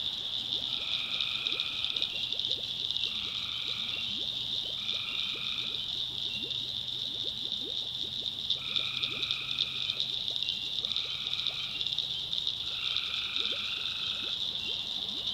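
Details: Backwoods North Carolina tree frogs at night: continuous high shrill chorus punctuated by about six evenly spaced buzzy trills, each roughly a second long, over a low hum and scattered ticks.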